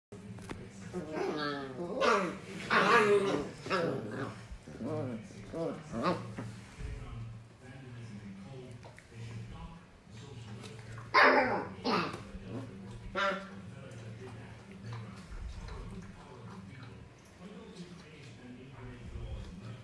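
Alaskan Malamute puppies yip, whine and growl in bursts while play fighting.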